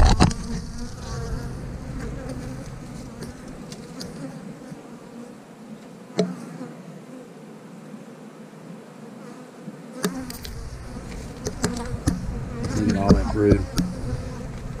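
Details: Honey bees buzzing while a beekeeper moves their frames into an eight-frame box to give them more room and keep them from swarming; a steady low hum with sharp clicks and knocks of handled woodwork, and brief music.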